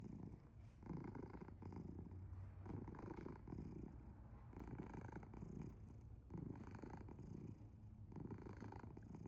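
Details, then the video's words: Sleeping pet cat Asher purring very loudly indoors, a deep rumbling low drone swelling and easing in steady breath-paced waves, close and continuous with no other sounds. "Purring? Or snoring? Very loud ゴロゴロ音？いびき？すやすや寝るアッシャー"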